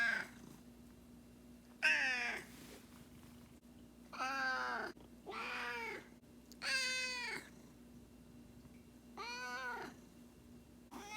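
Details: Indoor pet cat Miho, around two years old, voicing anger over her owner's late nights: five loud, drawn-out arching wails spaced a couple of seconds apart over a low household hum.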